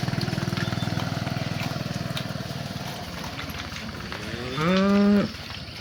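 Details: Cows herded at sunset in the evening; a pulsing engine-like drone fills the first seconds and fades, then a single clear, level moo of about half a second rings out near the end.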